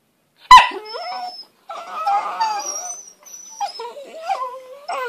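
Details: Mouthy whippet puppies making funny noises: a sharp yelp, then wavering whines and squeaky, bending whimpers that rise and fall, with short gaps between bursts.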